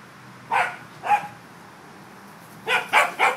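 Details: Playing corgis on an October day, from the trio Bernie, Basil and Byron: two spaced sharp barks, a pause, then a quick burst of three barks over quiet background.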